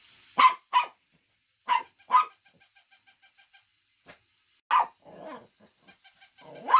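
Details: Shih Tzu barking in pairs of sharp barks, with a run of soft, regular ticking pulses between them and a brief rough rumble after one bark.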